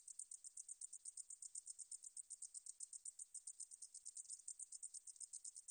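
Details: A 등줄어리쌕쌔기 meadow katydid, in a 2020 recording by Korea's National Institute of Biological Resources, sings a piercing, dry, buzzing chatter. Pulses come rapidly, about four per second, and the insect is the only sound.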